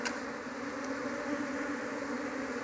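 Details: Steady droning hum of a large Apis cerana honey bee colony as people look through the nest for its queen, hoping to raise the bees at home; even, unbroken buzzing throughout.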